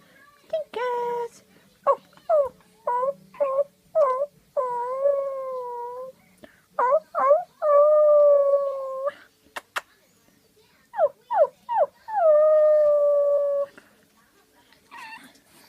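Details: Pug puppies, tilting their heads at a person's funny sounds, give short rising yips, then drawn-out wavering howls, with quick bursts between longer cries.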